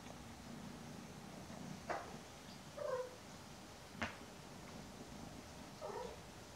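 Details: A mother cat hugging her two kittens, Daisy and Aragon, almost 10 weeks old, indoors; a low steady purr runs underneath, broken by three short soft mews and a couple of faint clicks.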